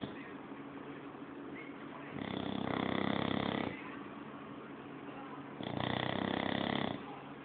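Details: An English Bulldog asleep, snoring loudly in two long, rasping, broadband bursts about three seconds apart, with quieter breathing between them.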